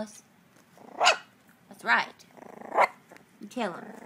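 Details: A young puppy learning to bark gives four short, sharp barks spaced roughly a second apart. Each bark rises then falls, with a faint growly murmur in the gaps between them.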